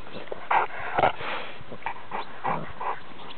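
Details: Cane Corso puppies, five weeks old, with their mother: a few short yips and whimpers come in uneven bursts over a low background hum.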